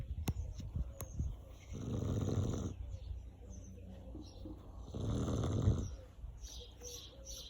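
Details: Chow Chow. A Chow Chow snores deeply, each breath a low, gravelly rasp lasting about a second. The snores come roughly every three seconds, with a few soft clicks and light room noise in between.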